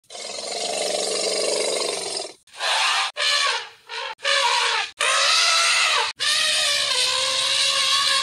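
An African elephant gives a series of loud, brassy trumpeting blasts, some wavering and bending in pitch.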